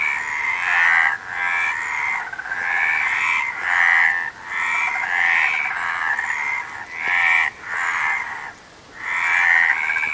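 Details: Frogs calling in a loud chorus: grating, pulsing croaks in swells about a second long, broken by brief lulls, with one longer quiet gap near the end.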